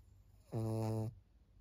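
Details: Senior fawn pug Maria, a fourteen-year-old female in Japan, June 2024, gives one loud half-second droning snore, low and strongly tonal with many stacked overtones, between quiet stretches of room hum.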